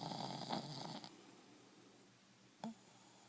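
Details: A sleeping one-year-old male dog named Buster, head resting on a shin, finishes a long rough snore, then after a pause makes a brief snorting snuffle. The room is otherwise quiet.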